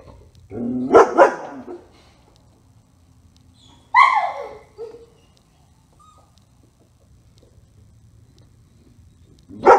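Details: German Shepherd named Otto during a dog training session; a short double bark near the start, a single sharp falling bark a few seconds later, and another bark at the end, with quiet pauses between.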